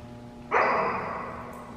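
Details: Dog barking by coincidence at a C-WAGS scent trial held in Fraser, Michigan: one sharp, full bark halfway through, fading into a reverberant tail above constant background hum.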